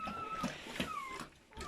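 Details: Whelping German Shepherd, litter of seven newborn puppies: a sustained high, steady whine from a newborn pup that slides gently downward, followed by a second drawn-out cry, with faint rustling beneath.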